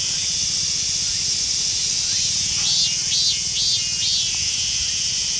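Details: Rare green Mikado-type minmin cicada in a western Saitama Prefecture park, Japan. An intense, hissing high-pitched buzz runs throughout, with a short burst of rising-and-falling pulsed notes in the middle and a low rumble beneath.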